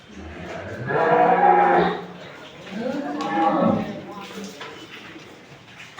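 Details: Holstein Friesian dairy cow, number four in a farm lineup at Setabganj, Dinajpur, Bangladesh, on 4 May 2025; two drawn-out low moos, the first around one second long, the second arching up and down, with faint talk nearby.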